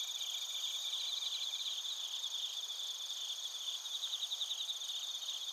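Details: Narita, Chiba, Japan: bell crickets and crickets, recorded with a TASCAM Portacapture X8, give a bright continuous high-pitched ringing chorus with rapid pulsed trills coming and going in waves.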